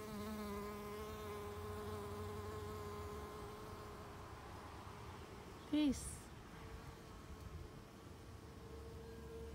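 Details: Honey bee worker foraging at Rose of Sharon blossoms, backing out of a flower: a steady, rich, low buzzing hum with strong overtones, interrupted midway by a brief loud sweeping chirp before the drone resumes.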